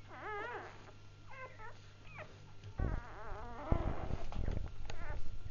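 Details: Just-born Labrador Retriever puppies whimpering: short quavering squeals at first, then louder overlapping cries with rustling and bumping noises as the litter moves, a constant low hum underneath.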